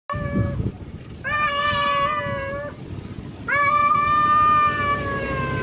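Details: Male cat calling to a wild female, uttering three long, drawn-out nasal meows, the last the longest and loudest, held steady before tailing off, over a constant low background hiss.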